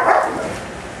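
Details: Giant Schnauzers playing in a backyard on a hot afternoon; one short, sharp bark bursts out at the start, then fades quickly into a low, steady background.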